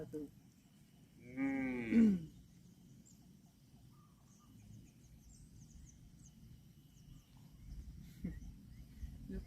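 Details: Cattle calling outdoors: a single short moo lasting under a second, starting higher and sliding down in pitch, then only quiet rural background noise with a faint thump near the end.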